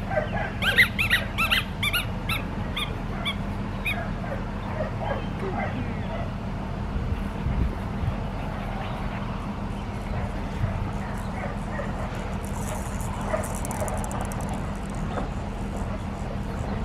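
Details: Blue merle female Australian Shepherd puppy, seven and a half weeks old, at a farm breeding registered dogs. Sharp high yips come in a quick repeated burst over the first four seconds, then fade into quieter rustling and faint background sounds.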